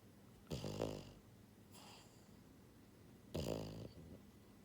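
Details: Sleeping pied female French Bulldog, born January 2022, gives two loud throaty snores about three seconds apart with a softer wheezing breath between them indoors.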